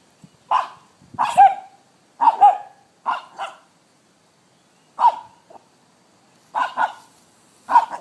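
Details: Mullet, a six-month-old male brown brindle Staffordshire Bull Terrier, barking at a locust on his first encounter with one; short sharp barks and yips in bursts of one to three, about eight over eight seconds, with brief quiet gaps between.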